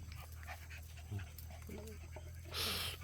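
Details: Puppies playing together give short, soft whines and yips rising and falling in pitch over a steady low hum, ending in a brief loud broadband rustle.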